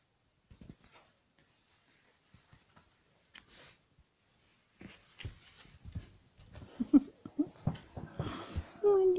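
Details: Pekingese puppy indoors in a small room, giving soft snuffling grunts and short breathy sounds that build into brief whines, ending in a thin, high, sustained whine, with people talking nearby.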